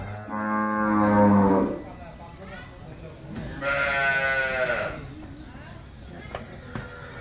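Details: Black-and-white Friesian cow, nine months pregnant with her second calf, raised by a family: a long, deep, droning moo of about one and a half seconds, then a higher, strained moo after a pause, with faint voices and clicks.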